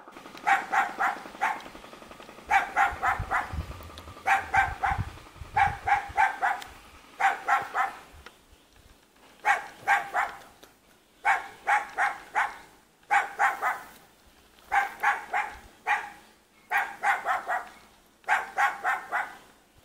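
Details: Small dog living in a mountain village near Jeonju, North Jeolla Province, Korea, barks persistently in about a dozen clipped volleys of three or four yaps each, repeated every second or two, over a low outdoor background.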